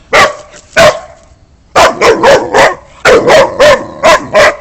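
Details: Boxer dog barking: two deep, resonant barks, a pause, then quick runs of four to five barks about a quarter second apart, over steady background noise.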